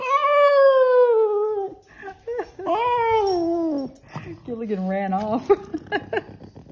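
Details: Waking from sleep, Skipper the Boston Terrier opens with a falling howl, then gives looping, warbling rises and falls; broken, chattering vocal sounds fill the last seconds.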